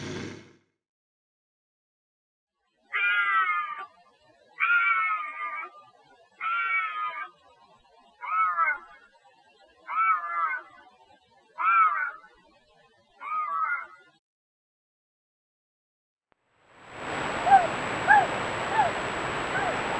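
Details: Bobcat howls offered as raccoon and rodent repellent: seven short, nasal, meow-like wails spaced about every one and a half seconds, each slurring downward, followed by a burst of loud broadband noise.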